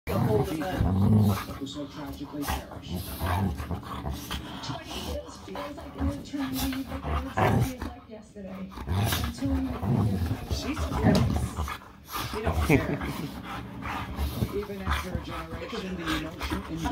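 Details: A 120-pound Alaskan Malamute gently playing with a Belgian Malinois puppy, both rescue dogs from a local shelter; low rumbling growls run through the play with rougher snarling bursts, and a person's voice is heard between them.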